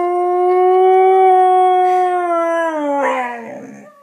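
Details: A 1-year-old female Husky named Halo howls for the first time, set off by hearing recorded huskies howling: one long, steady, clear tone held about three seconds, then sliding lower and breaking off into a rougher ending.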